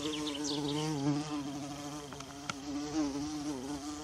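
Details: Low, steady droning hum of a bumblebee in the forest near wild violas, pitch gently rising and dipping, with a few brief high chirps near the start and a couple of sharp clicks midway.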